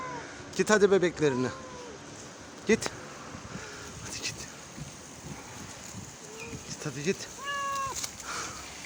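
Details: A mother cat gives harsh, wavering angry yowls while a person talks nearby, angry at her small kittens being carried back up to the balcony after she moved them down to the street.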